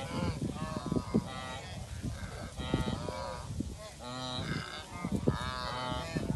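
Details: A herd of wildebeest on migration in Kenya, recorded up close: many animals give overlapping nasal, honking grunts in rapid bursts, a continuous chorus with hoof and movement noise underneath.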